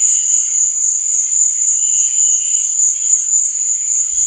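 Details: A night chorus of crickets: one shrill, continuous ringing trill holds steady throughout, with faint, fluttering lower chirps drifting underneath.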